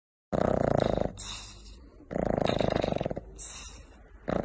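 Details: A sleeping French Bulldog snores heavily, a rasping, fluttering rumble on each breath with soft whistles between.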